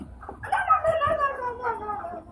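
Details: Roger, a pet Doberman, indoors while a visiting kid plays with him, gives a drawn-out, tonal whine that slides gradually downward over about two seconds, with faint voices nearby.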